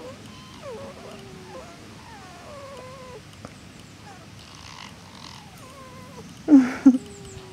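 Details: Mother fox and her daughter in conversation: a series of thin whining, wavering calls that slide up and down, then two louder sharp yelps near the end, over a low background hum.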